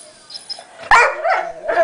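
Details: Sombra, a pet dog, cries while guarding his chew bone after Decker, another dog, took a tiny piece of it. Faint squeaks come first, then loud, harmonic whimpering in wavering, rising-and-falling bursts.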